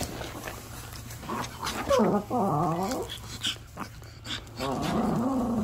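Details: Puppy crying as its owner gets ready to go out, with wobbling, harmonic-rich whines rising and falling. A human voice talks over it, and a steady low hum runs throughout.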